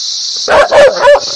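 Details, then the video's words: Three quick dog barks in close succession, short and mid-pitched, set against a steady high-pitched hiss. "Dog barking sounds/Dog barking happy ,agrassive, loudly,angry"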